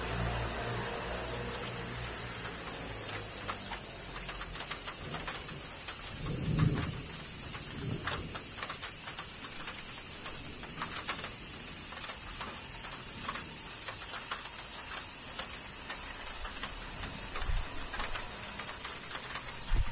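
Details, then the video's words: Cicadas singing during summer rain in Kyoto, Japan: a steady, high, hissing drone holds throughout, overlaid by rain patter and a few soft low thuds. "Cicadas Summer Rain - Zen Sounds of Kyoto, Japan"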